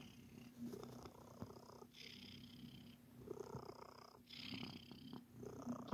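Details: Domestic cat Sir Titan purring as it kneads, making biscuits; close, steady low purr pulsing in inhale-exhale cycles roughly every one to two seconds, ending with a sharp thump.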